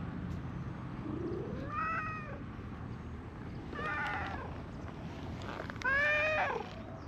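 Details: Being petted, a brown-and-white community cat stretches and gives three sweet meows, each a short rising-falling cry about two seconds apart, the last loudest, against faint outdoor background noise.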